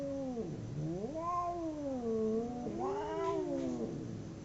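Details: Domestic cats in a fight trading a continuous yowling howl that dips, swells upward and wavers, rich in harmonics, with a louder strained rise near the end before tailing off low.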